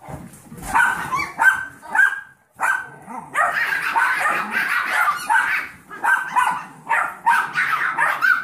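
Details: Yorkie foster puppies, seven weeks old, with mother Maddie and a 15-week-old Golden Retriever mix pup named Trouble; shrill yaps come in short bursts separated by brief pauses, then turn into a longer stretch of overlapping squeals.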